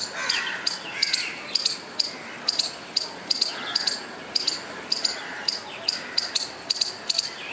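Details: A squirrel keeps up a steady series of short, harsh, clicky barks, roughly two each second, with a low murmur of background noise throughout.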